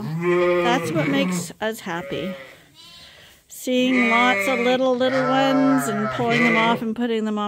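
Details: Lambs on a sheep farm, Ewetopia Farms, being bottle fed as a top-up to their mothers' milk, call in loud, quavering bleats. A brief lull comes midway, then several long, overlapping cries resume together.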